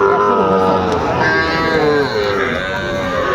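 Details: Sahiwal bull calves at a Comilla cattle market in Bangladesh give a sustained, steady low moo lasting most of three seconds, tone holding level before fading slightly, over a background of market crowd noise.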